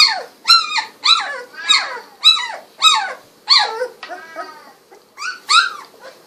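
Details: Sixteen-day-old Golden Retriever puppies, eyes recently opened, wiggling and walking about: a series of high, squeaky yelping whines, each sliding up then down, repeated roughly every half second in a clean, quiet setting.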